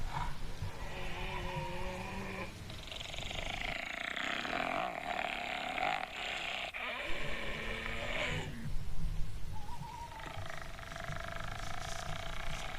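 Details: A striped hyena on a mountain in Kurdistan gives harsh, rasping growls mixed with strained, whining tones over a low rumble.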